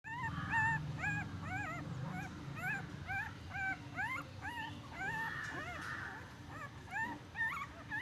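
A newborn puppy gives rapid, thin squealing whimpers that rise and fall, about two each second.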